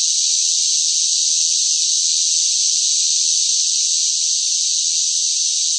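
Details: Loud cicadas singing in sweltering summer heat: a dense, unbroken high-pitched hiss-like drone that holds steady in pitch and volume throughout, with no pauses, no other animals and no voices.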